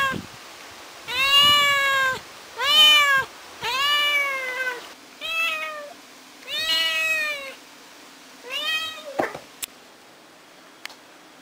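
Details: Ginger the kitten, unhappy at being alone at home, calls for its mother with six insistent meows in quick succession, about one every one and a half seconds, followed by a few clicks and knocks and then quiet.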